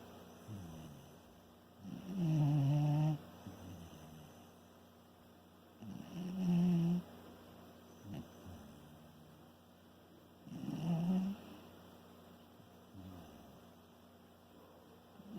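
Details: Sleeping Shiba Inu snoring indoors, three loud low rasping breaths at about four-second intervals with quieter breathing between.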